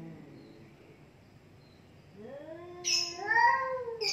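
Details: Cat fight between two cats: a quiet low murmur gives way to a rising yowl that swells loud at the end, with a hissy burst.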